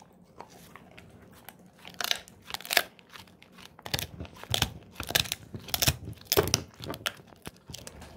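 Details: Golden Retriever named Moko crunching a pig ear snack indoors: sharp broadband crunches in irregular bursts, quiet for the first two seconds, then dense chomping clusters through the rest, in a small quiet room.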